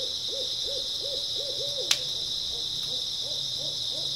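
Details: Grass insects on an early autumn night, a steady high shimmering chorus running without pause, while a series of low hooting notes repeats about three times a second in the foreground, broken by one sharp click.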